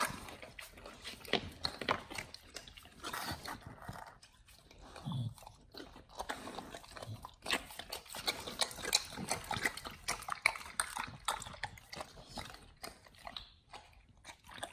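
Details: Dogs on a BARF raw diet chewing raw chicken breast and duck feet: crunching bites and wet mouth sounds, uneven rhythm with short pauses, quieter stretch midway.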